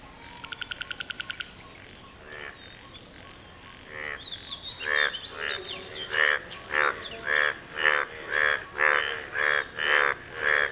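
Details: Frogs calling after rain to impress a partner: a quick train of short clicking pulses at first, then buzzy croaks building in loudness and settling into a steady beat of nearly two per second.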